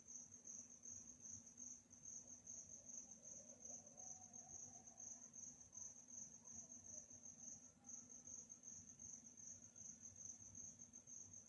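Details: A calm night with crickets giving a bright, rapidly pulsing trill that carries on unbroken apart from a short pause near eight seconds, with a soft low hum beneath.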